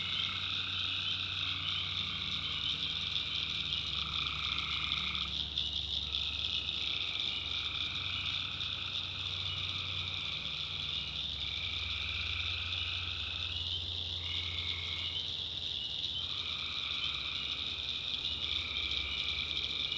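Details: Night chorus of tree frogs in a North Carolina backwoods swamp. A continuous shrill wall of calls is layered with lower droning notes that start and stop at irregular intervals, over a soft low rumble.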